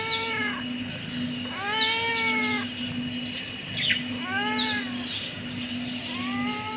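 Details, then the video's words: Kitten giving repeated arched meows, each rising then falling, about every one and a half to two seconds, with a steady low electrical hum in the background. "Cute kitten meowing"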